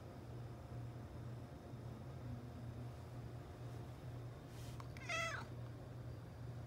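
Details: Indoor domestic cat, a male, meows because he wants to go outside: a single short, clear meow that climbs and drops, preceded by a faint click, over a constant low electrical hum.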